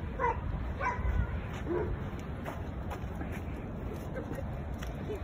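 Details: At a dog run at the Suzuka service area in Mie, Japan, a Chihuahua running wild gives a few short, high yips over a steady rumble of background noise and voices.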